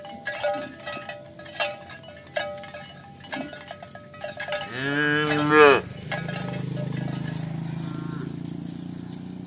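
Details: Cattle driven in the morning over village roads to the pen: scattered cowbell clanks, then a single strong moo rising and falling over about a second, followed by a low steady rumble.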